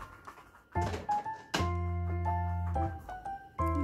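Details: Piano notes and soft indoor thumps in a small room, without any dog sound.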